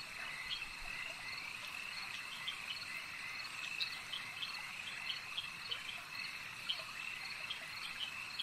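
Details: At a lake, a steady chorus of frogs gives ringing high trills with frequent short pulsed clicks repeated every second or so, all blending into a dense wall of sound.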